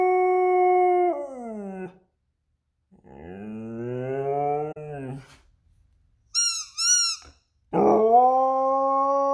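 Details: A Lapponian Herder (husky) howls while holding its favourite toy, in long, tuneful notes that slide downward, broken by two brief high squeaks.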